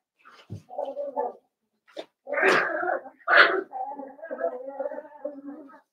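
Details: Blenheim Cavalier King Charles Spaniel puppies from a litter of five born at New Year's, in an indoor puppy pen: short nasal whimpers, then two harsher yelping bursts and a longer wavering whine, with a quiet room behind.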